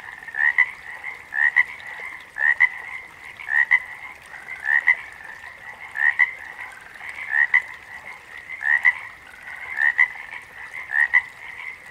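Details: Frog chorus in which one prominent frog repeats short paired chirps at a regular pace near one per second, set against a steady wash of other frogs trilling behind.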